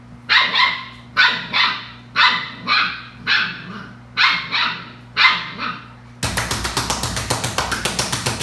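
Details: Belgian Malinois puppies at play: six paired yappy barks repeated about once a second, then a rapid run of clicking or rattling noise at the end.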